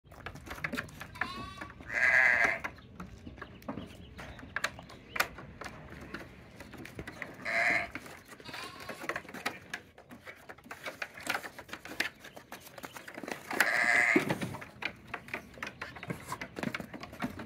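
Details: Goats on a farm at Finca Altozano, bleating in three loud, harmonic bursts spaced about six seconds apart, with a short higher call near one second and steady rustling and clatter between calls.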